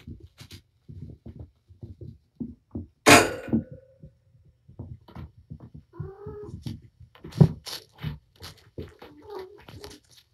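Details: Mother cat Patience, wound up and playing with her litter of four male and one female kittens in a room, gives a brief wavering meow midway amid constant thumps, pattering and rustling, with a fainter mew later.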